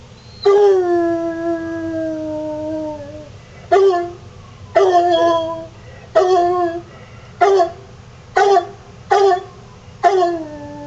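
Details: Coonhound baying at sirens: a long drawn-out falling howl, then a series of seven or so short, loud harmonic bays spaced about a second apart, over a steady low hum.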